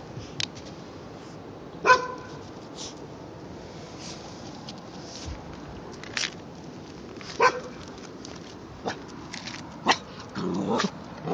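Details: A 3-month-old white Jindo dog puppy, in a standoff with a neighbour's adult dog, gives a few sharp, isolated barks spaced several seconds apart.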